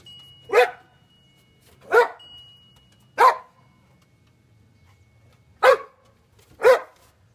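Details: Titan the Boxer, nearly nine, chasing reflections off glass and a watch in sunshine: five crisp, strong barks, roughly one to two seconds apart with a longer pause before the last two, over a low background hum.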